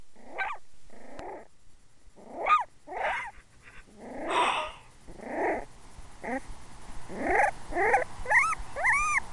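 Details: Male puppy growling and then giving his first barks: rough, noisy growl bursts give way to high yelping barks, irregular at first, then quicker with rising-falling whiny yips at the end.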